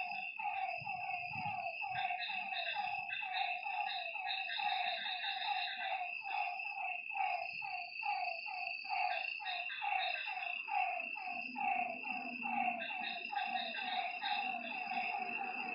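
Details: Frogs calling at night by a lake: many overlapping short croaking notes, several per second, over a steady high buzzing drone, with faint low rumbles early on.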